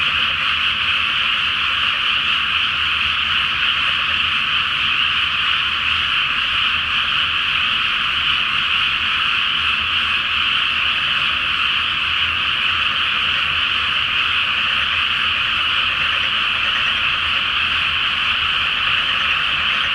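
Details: Frogs in a great night chorus over a flooded rice field before planting in Japan, under a full 'flower moon' mirrored on the water, a seasonal return; dense, unbroken wall of overlapping high croaks, steady and loud for the whole stretch.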